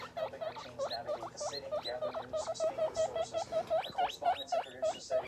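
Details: Small guinea pigs calling: rapid chains of short upward-sweeping squeaks, several per second, some louder and higher, continuing steadily throughout with a faint low hum beneath.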